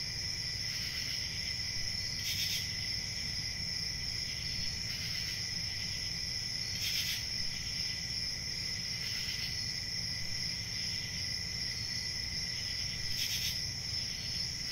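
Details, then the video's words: Crickets at night keep up a continuous high-pitched trilling chorus, with louder pulsed bursts of chirping every two to three seconds over a steady low rumble. "CRICKETS AT NIGHT"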